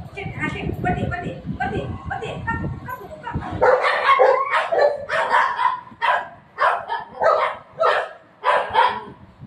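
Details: Pet golden retriever and shih tzu puppy, named Buzo and Milo, scuffling in a fight: human voices at first, then a run of short, harsh barks or yaps about every half second.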